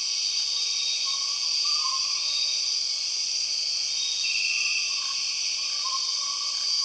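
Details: Empress cicada in the Borneo rainforest: a dense, steady, high-pitched buzzing drone fills the whole clip, overlaid by short wavering mid-pitched whistled notes and one brief brighter buzzy burst near the middle.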